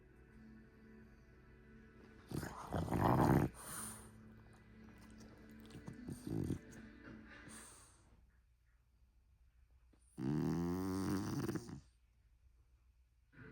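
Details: Long-haired French Bulldog asleep, giving two loud rattling, buzzy snores of about one to two seconds with softer snuffling breaths between, faint low hum in the background.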